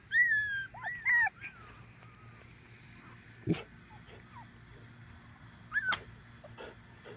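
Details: Five-week-old Tibetan Terrier puppies of Vanille's 2015 summer litter give high, wavering whines and curled squeaks at the start, then fall mostly quiet apart from a couple of clicks and one more brief whimper near the end.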